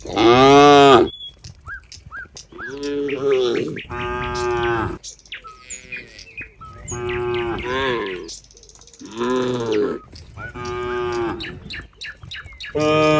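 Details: Several cows walking together as they head back to their pen give deep, drawn-out moos, each about a second long and rich in overtones, calling in turn, with faint bird chirps in the gaps.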